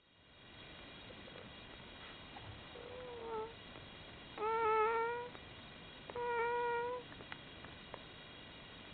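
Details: One-day-old Komondor puppies from litter F, a newborn litter, give thin tonal whines with rich harmonics: a short faint cry, then two louder steady whines of about a second each, close together near the end, over a quiet background hiss.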